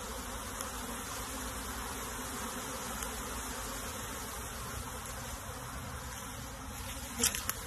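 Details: Honey bee colony being transferred into a box, a steady dense swarm hum filling the low and middle range throughout, with a brief louder knock near the end.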